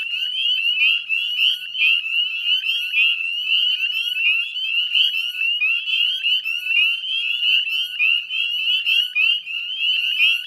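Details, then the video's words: Dense chorus of Northern Spring Peepers at dusk on 18 May 2020, West Chezzetcook salt marsh, Nova Scotia, Canada: countless high, rising peeps overlapping continuously, forming an unbroken shrill wall of sound. "Northern Spring Peeper Chorus"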